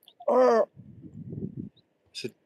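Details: On a Norfolk coast dog walk, a red fox barking somewhere below, perhaps having found deer, gives a single harsh, wavering bark, followed by low murmuring voices.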